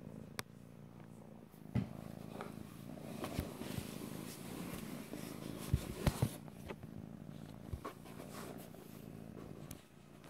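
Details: Pet cat purring in stereo, a dense low rumble running throughout, broken by sharp clicks and brief rustling bursts around the middle.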